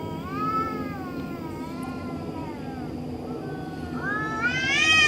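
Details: A cat in the middle of the night gives long, wavering, drawn-out yowls that bend up and down, ending in a louder, higher rising wail, over a steady low background hum.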